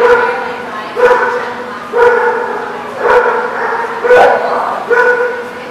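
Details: Dog at The Barking Lot, recorded 6/17/19, giving loud harmonic barks, each drawn out almost a second and repeated about once per second in a steady run of six, with no other clear sounds.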